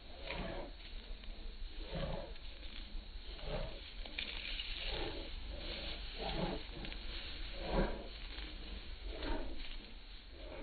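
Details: Pet Bull Terrier making repeated short, throaty groaning vocalizations about every one and a half seconds, each a brief harmonic moan, against constant low background hum.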